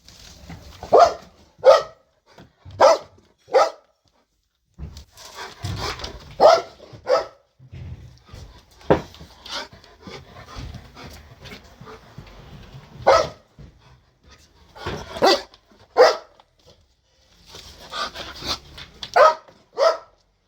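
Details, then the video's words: Belgian Malinois barking very loudly in a garden, said to bark day and night and annoy the neighbours; sharp, harsh barks in uneven bursts of two to four, about twenty barks with short pauses between groups. "Bruit de Chien qui Aboie très FORT"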